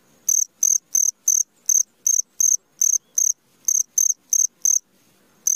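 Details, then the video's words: Midnight cricket giving sharp, high chirps in an even series of about three per second, then a pause of under a second before calling resumes; little else audible. "SUARA JANGKRIK TENGAH MALAM"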